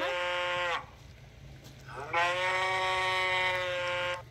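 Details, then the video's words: Cow calling: a flat, droning moo that cuts off, a short pause, then a longer sustained call that starts with a quick upward swoop and holds steady. "Tiếng con bò kêu phần 1 - sound of cow"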